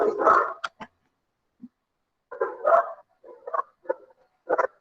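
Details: Dog barking in the background of an online class recorded on 7 April 2021: a loud bark, then a quieter cluster of short, uneven barks and yips later on.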